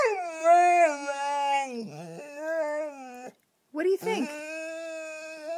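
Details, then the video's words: Pet dog at home making a drawn-out, howling whine as it 'talks' to its owners, usually to get attention or to be taken out. The tone wavers and slides downward, breaks off briefly, then resumes steady and slightly rising. "the Incredible Talking Dog"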